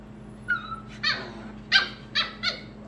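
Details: Purebred, registered Pembroke Welsh Corgi puppies from a current litter: a thin, drawn-out whine followed by four sharp, high-pitched yips in under three seconds, over a steady low hum.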